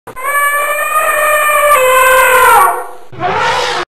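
An Asian elephant trumpets a long, brassy blast, then a shorter one that falls away.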